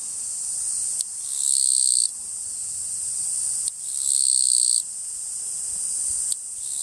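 A Japanese katydid sings a high, dry buzz that swells into louder rasping bursts every few seconds.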